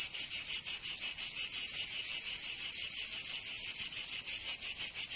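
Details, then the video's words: Chorus of cicadas in Provence, southern France, in summer: a harsh, sizzling high buzz beating in fast regular pulses of three to four per second, briefly smoothing out midway. "Canto Cigarra 🦗 [ Escuchar les cigarras en verano 10 H]"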